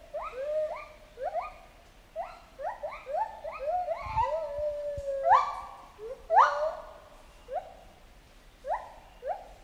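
Chimpanzees give a run of hooting calls that swoop up and down and overlap one another.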